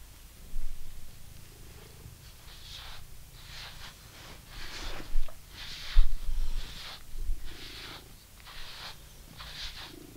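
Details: British Shorthair cat purring while being brushed indoors: a steady low rumbling purr underneath, overlaid by repeated scratchy brush strokes about once per second.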